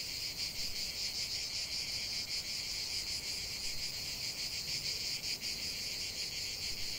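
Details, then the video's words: Chorus of singing cicadas outdoors, a steady shrill drone with a rapid shimmering pulse running through it and no other clear sounds. "chant des cigales"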